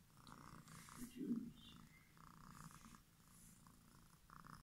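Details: Domestic cat purring: a soft, steady low rumble that pulses throughout, with faint higher murmurs above it and one slightly louder swell near the middle.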